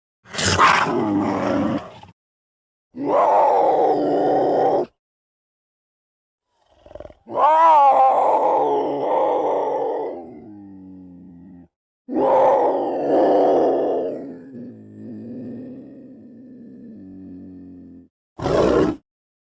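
Rough, strained yowls from a mountain lion come in separate bouts of one to three seconds. Some calls bend and waver in pitch, then trail off into lower, fading moans.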